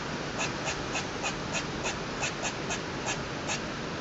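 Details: Squirrel calling on a balcony, cause unknown: a quiet, fairly even series of short dry clicks, about three per second, over constant broadband hiss.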